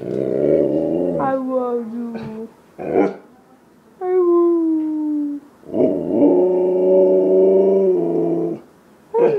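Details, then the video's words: Siberian husky talking: a rough, growly low rumble opens, then drawn-out whining tones that slide downward, followed by a long, steady howl-like moan with rich overtones and a short yelp at the end. "Husky talking."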